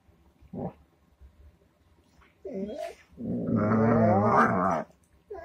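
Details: Dog making a rough, growling vocal sound. A short grunt is followed by a longer, throaty moan of about two seconds that wavers in pitch, with quiet gaps between the sounds.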